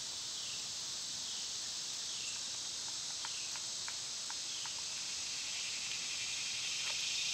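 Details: Summer cicadas, loud this time of year, fill the air with a dense, steady, high buzzing hiss that runs unbroken throughout, while a few faint downslurred bird notes and soft clicks sound underneath.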